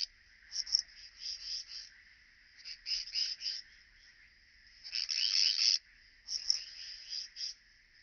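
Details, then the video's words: Striped bush-cricket at Vela Ucka, Croatia, 25 July 2023, picked up with an ultrasound detector: high, dry buzzing chirps in irregular pulsed bursts, with a longer, louder burst midway and a few faint ticks. "Pachytrachis striolatus -- Gestreifte Südschrecke"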